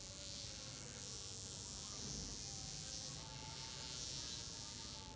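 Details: Droopy-winged wasp, burnt and grounded, producing a continuous low whine whose pitch shifts slightly upward midway, with constant hissing noise throughout.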